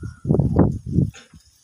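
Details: Goat feeding on ramban leaf fodder in a village, giving a loud, low, rough voiced call in three close bursts over about one second, followed by soft rustling and faint clicks.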